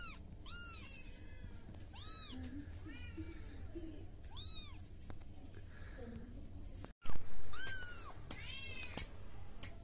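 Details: Baby cat mewing repeatedly in high arched calls, several in a row, with a brief silent break before louder overlapping meows; faint speech or background murmur underneath.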